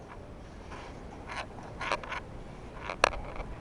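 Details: Soft scraping and rustling indoors with a few sharp clicks and faint handling noise, and no animal voice.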